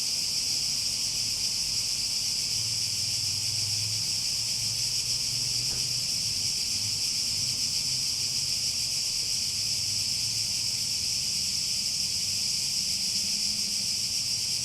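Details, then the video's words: Unwavering high shrill drone from cicadas over nearly fifteen seconds, with a faint low hum and a single brief click near the middle. "Relaxing Sounds With Cicadas"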